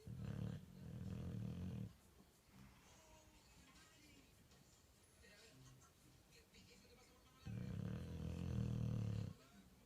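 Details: Bulldog sleeping deeply and snoring: two long, low, rumbling snores of about two seconds each, separated by several seconds of quieter breathing, over a faint steady background hiss.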